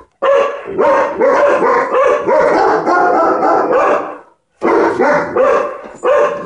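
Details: Dog barking at ladybugs, which it does not like: a fast run of loud, rough harmonic barks, about eight in four seconds, then a brief pause and three or four more barks.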